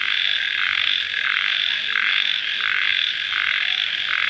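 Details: Crickets calling at night just after rain: a dense, unbroken high shrill chorus with a throbbing lower layer that swells in steps roughly every 0.7 seconds.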